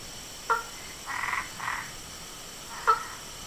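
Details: Frogs, toads and treefrogs call at nightfall from a pond in front of a house, giving sharp clicky notes alternating with short raspy croaking bursts, unbothered by a light shone on them.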